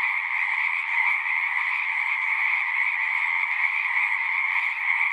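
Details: A dense chorus of singing frogs, many voices merging into a steady, unbroken trill with a buzzy middle band and a higher shrill band, holding an even level throughout with no pauses.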